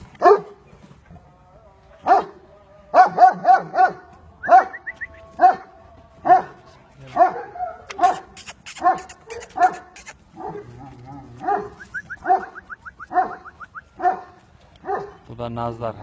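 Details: Aksaray Malaklısı dogs on a farm in Turkey, barking in loud, deep, repeated bursts roughly every second, some barks doubled, with whimpering notes and a few high yelps between them.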